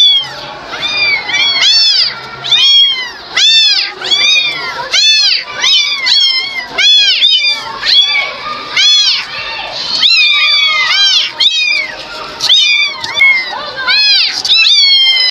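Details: Kitten meowing: a dense, continuous run of high, arching meows that overlap one another, several per second for the whole stretch, loud and shrill with no other clear sounds.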